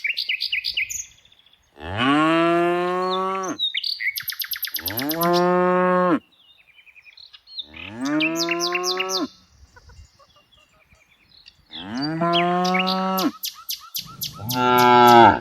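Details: Tame cows herded every afternoon: four long, loud, harmonic moos, each lasting about one to two seconds with a slight rising then falling pitch, separated by short pauses, with high bird chirps scattered between them.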